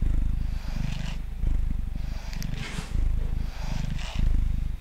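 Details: Mango, a male pet cat sitting on a table, purring while being brushed: a deep, steady rumbling purr in cycles of about one and a half seconds, each swell overlaid with soft hissing brush strokes.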